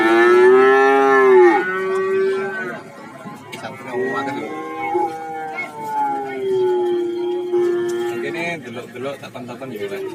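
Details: Cattle at the Warujayeng livestock market in Nganjuk: a loud, steady moo opening the recording and lasting over a second, followed by several longer, softer lowing calls from more animals, with market chatter underneath.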